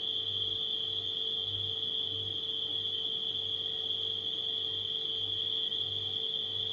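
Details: Crickets at night keep up a level, ringing high trill, while a refrigerator hums underneath with a low drone that swells and fades in short pulses.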